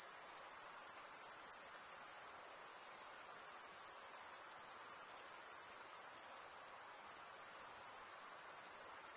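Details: Continuous shrill chorus of stridulating crickets, males scraping wing against wing; a dense high buzzing trill that holds steady without pauses, with faint soft hiss beneath and no other sounds.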